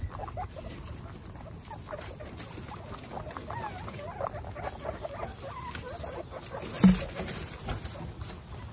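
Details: Guinea pigs meeting the babies Snow, Pistachio and Pumpkin for the first time, in a pet household of 29. Soft rustling and pattering fill the background, with faint short squeaks and brief wavering chirps, and one louder bump near the end.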